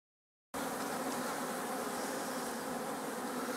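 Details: Honeybees of a colony headed by a Buckfast queen bred in Scotland, inside a poly hive; a steady, dense hum of many bees that starts abruptly and continues without a break.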